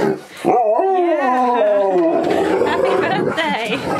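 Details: Siberian Husky howling during a birthday celebration: a wavering, sliding tonal howl for about one and a half seconds, then drowned by applause and cheering voices.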